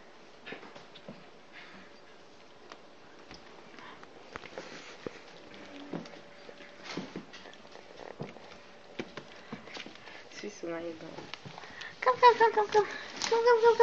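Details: Maltipoo puppies; mostly quiet shuffling and soft tapping, then a run of high, thin, wavering whines in the last two seconds.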